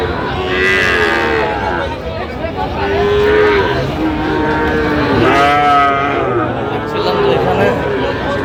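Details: Sahiwal bull calves at the Aftabganj cattle market on 16 August 2025, where Dhaka farmers are buying. A drawn-out, mid-pitched moo rises above constant crowd chatter and bargaining voices.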